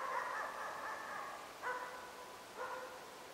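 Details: Pinto, a five-month-old Hällefors Elkhound, barks at a moose for only the second time. Three loud, harmonic barks: a drawn-out first one lasting about a second and a half, then two shorter barks roughly a second apart.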